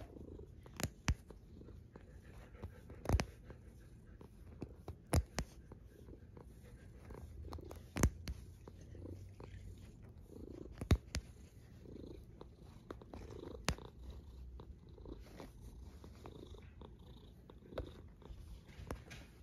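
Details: Cat snoring in its sleep, a low continuous rumble with gentle breath swells about every two to three seconds, dotted with brief sharp clicks.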